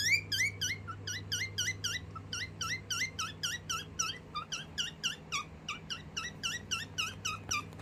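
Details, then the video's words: Domestic guinea pig chirping while scared of something indoors: rapid, bright whistled chirps with a rising-then-falling shape, about four per second and fairly steady throughout, over a low steady hum. "Guinea pig chirping sound"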